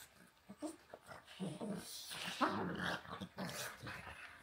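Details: A pug named Walter and a husky named Rhett Butler play-fighting, with rough, rumbling growls in short bursts that swell and fade, a few sharper snarls mixed in, and scuffling noises between them.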